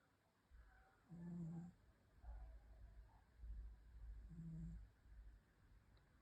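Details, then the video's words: Snoring from a sleeping cat, two low buzzing snores each under a second, separated by deeper breathy rumbling inhalations. "Snoring Cat"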